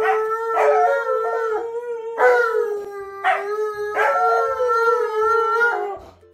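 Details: Alaskan Malamute Tonka and Siberian Husky Monroe howling together indoors as their owner sings a good morning song; long sustained tonal howls with steady pitch, several overlapping phrases starting roughly every two seconds and sliding slightly downward at the ends.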